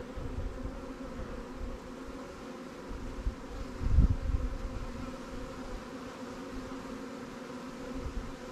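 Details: Quiet, even drone of honey bees at fresh swarm hives in an apiary during inspection, with a single sharp knock around the middle amid faint low rumble.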